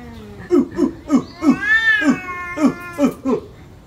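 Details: During a village cat fight over a female, rapid throaty growl pulses come about three per second, broken midway by one arching, moaning wail.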